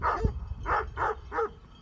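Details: Great Pyrenees guarding sheep near Heber, Utah, give three quick hoarse barks at mountain bikers over low wind rumble.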